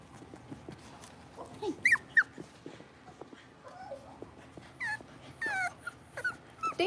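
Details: Blenheim Cavalier King Charles Spaniel puppies, six weeks old, in a home puppy pen; scattered short high whimpers and rising yips against quiet background noise.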